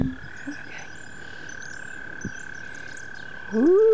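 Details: Frogs croaking at a pond, possibly mating: a continuous even trilling drone at one steady pitch, a few soft knocks, then a loud human voice cries out a rising-falling 'ooo' near the end.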